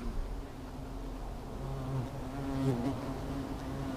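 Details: Agitated hornets around their disturbed nest, attacking the intruder, a thick low buzz growing louder with wavering tones and quick close passes past three seconds.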